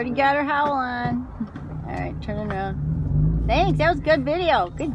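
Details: Female Alaskan Malamute puppy, four months old, vocalizing in a car; drawn-out wavering moans, then a burst of quick rising-and-falling yodeling whines near the end, over steady engine hum and occasional human voices.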